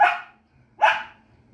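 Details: Domestic dog barking while playing with another dog indoors: two loud, sharp barks about 0.8 seconds apart, with a quiet gap between them.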